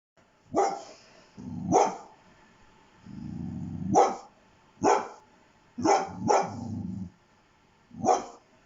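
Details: Pet dog barking indoors: sharp, broad single barks at irregular gaps, some preceded by low rumbling growl-like noise, about seven barks in all.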